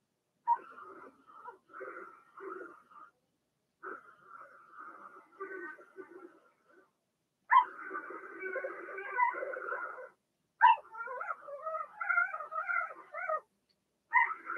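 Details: Blenheim Cavalier King Charles Spaniel puppies from a litter of six in an indoor puppy pen give harmonic whines and whimpers in bursts, some soft and broken, others louder and wavering, with quiet gaps between.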